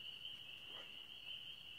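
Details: A dense chorus of spring peepers (swamp frogs) in a swamp around nine on a moonlit May evening: high, piping peeps merging into a steady, ringing trill.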